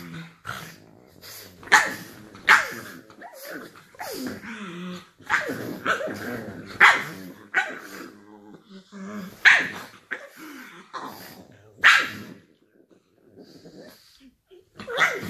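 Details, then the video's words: Two pug sisters, aged four and two, playing together in bed in the morning; short rough growls and sharp barks in uneven bursts, some closely spaced, others separated by brief quiet gaps. "Funny pug sisters playing in bed"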